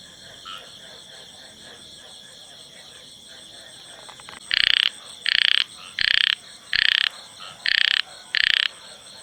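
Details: Male frog singing in the field: six loud, high, buzzy bursts about half a second long, repeated roughly every 0.7 seconds after a quiet start with faint background calling.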